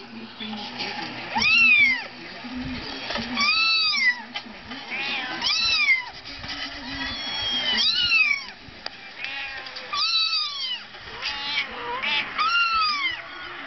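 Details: Persian cat acting motherly toward a laptop, repeatedly trying to get under it. Gives a series of arched, rising-then-falling meows about every two seconds, bright and nasal, over a steady background hum.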